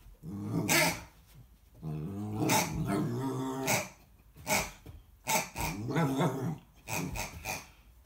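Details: American Akita puppy confronting a pig, giving low, rumbling harmonic growls in bursts of about a second, broken by sharper noisy snarling outbursts, with brief quiet gaps between them.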